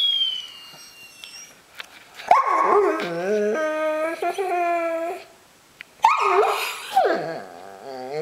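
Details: Six-month-old Bernese Mountain Dog named Teo, a pet puppy answering back from a couch, gives a long wavering moan with stepped pitch, then a pause and another whiny, yodelling burst; a woman speaks nearby.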